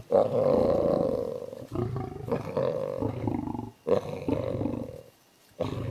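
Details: A wild tiger moving on a road roars in long, rough, rumbling bouts, several strong calls following one another before a brief silence near the end.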